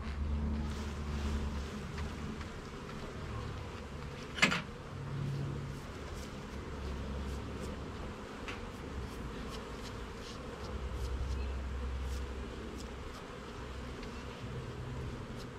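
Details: Honey bee colony buzzing while a garden hive is opened and its frames inspected; a continuous low drone with faint higher whine and one sharp knock of equipment partway through.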